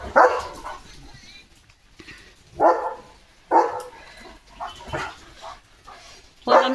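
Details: Leo, a pet German Shepherd, during his playful morning routine, gives about five loud, sharp barks spaced roughly a second or more apart, with a person talking between them.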